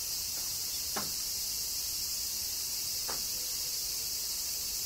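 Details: Kyoto cicadas in summer rain, Japan: a continuous high, hissing drone broken by two short, sharp tapping sounds about two seconds apart.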